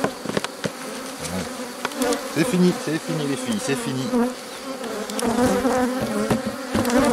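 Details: Honey bees of a drone-laying hive under rescue on 3 May 2021, where a brood frame with nurse bees from a neighbouring hive is added. A steady droning hum with low bands, brief soft voice-like sounds early on, and scattered clicks and knocks.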